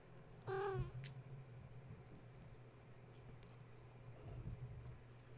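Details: One of Gaia's kittens, roused at bedtime by the space heater being plugged in, gives a single short wavering meow early on, followed by a click and then only a low hum and faint rustles.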